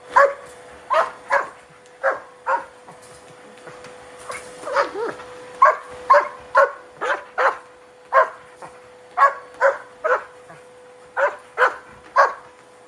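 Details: German Shepherd, angry and barking at a running vacuum cleaner indoors; loud, sharp barks in quick bursts of two or three, about twenty in all, over a steady motor hum.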